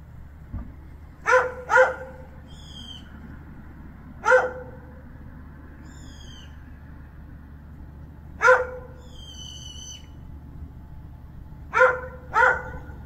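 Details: Stray cat hiding and waiting for a chance to eat, giving short harmonic mews, often in quick pairs, spaced several seconds apart, with high descending bird chirps between them over a low steady background hum.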